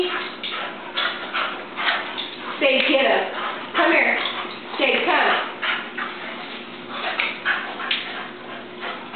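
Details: Two dogs at play, Oliver, a Boston Terrier, and Gracie, a chow and collie mix, making rough, noisy bursts of growling and barking scuffles, loudest around the middle, while a woman keeps talking and urging them on.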